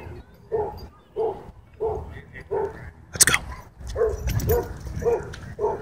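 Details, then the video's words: Dog at a dog park, play interrupted by a dogfight; a run of short, mid-pitched barks roughly every half second to second, with a sharp burst of scuffling noise in the middle. "Happy Dog Park Play Interrupted By Dogfight"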